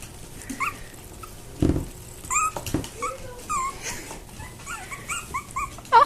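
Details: Havanese puppies squeaking: short high-pitched squeaks and whimpers, some rising then falling, scattered across several seconds, with a few soft thumps and a woman's voice nearby indoors.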